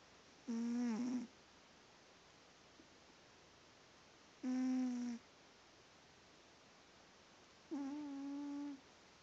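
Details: Sleeping cat named Pumpkin, a female, snoring indoors; three humming, nasal snores, the first dipping in pitch, the last held steadier and longer, spaced about three to four seconds apart against soft room hiss.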